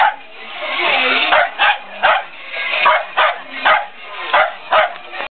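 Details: Peanut the dog, worked up over a toy car, gives a string of sharp barks. After a longer opening burst, they come roughly every half second in uneven pairs and singles.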